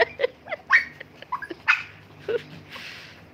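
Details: Mini Dobermans and Shih Tzus squabbling, with a dense burst of sharp, high yaps and barks overlapping irregularly, some rising whiny yips, ending in a noisy scuffle.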